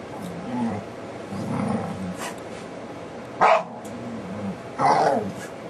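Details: DaVinci, a pet dog, making funny sounds: low, wavering growls rumble and rise and fall in pitch across the clip, broken by two brief louder bursts like short barks.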